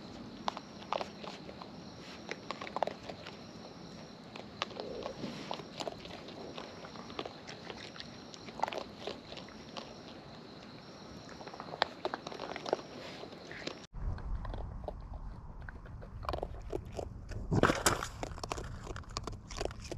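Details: Raccoons in the wild chewing food at close range: soft, uneven clicking and gnawing for a long stretch, then after a sudden cut, louder, denser crunching and rustling.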